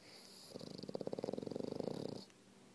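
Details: French Bulldog fast asleep on a toy, giving one steady snoring breath of about a second and a half: a rapid, even rattling buzz of many quick pulses that starts abruptly and stops cleanly in a quiet room.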